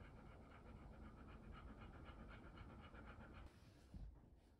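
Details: A Golden Retriever trying corn for the first time pants steadily in rapid, rhythmic breaths for about three and a half seconds. The breathing then stops and a short rustle follows in a quiet room.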